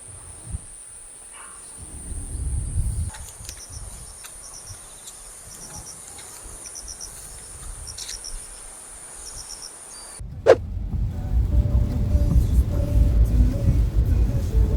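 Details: On a windy morning walk near lodging in Jeju, with rain threatening, a thin, steady, high-pitched insect drone with faint pulsing chirps, then wind rumble and handling noise.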